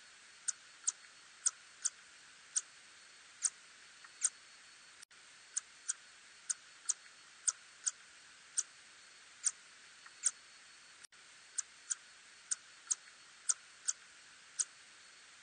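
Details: A little tube-nosed bat, recorded in 2020, gives brief, crisp, high, dry clicking pulses at uneven intervals of roughly half a second to a second against a quiet background.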